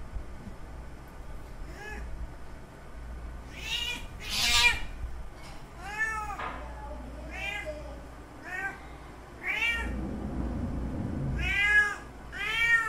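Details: Mating calls of a male cat seeking a female in heat, a long run of insistent meows about one to two seconds apart, each swelling and then sliding down, with brief rustling and a low rumbling noise partway through.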